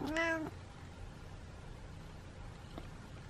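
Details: Single brief, high kitten meow with a slight rise and fall, then near silence with a faint tap.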